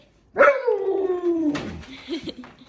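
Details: Siberian Husky puppy vocalizing in the morning: a single drawn-out 'talking' howl that starts high and glides steadily downward for about a second, followed by softer short grumbling sounds.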